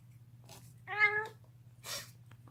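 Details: Deaf domestic cat gnawing on a bone, giving a brief harmonic yowl of about half a second, then a short noisy rasping burst, over a steady low hum indoors.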